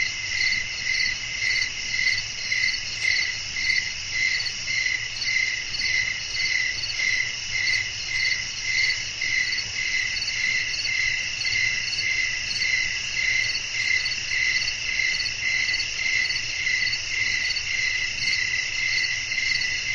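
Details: Crickets chirping in a relaxing night-time nature setting with blowing wind: a steady, high, ringing trill pulsing about twice a second without pause, over a soft low rumble.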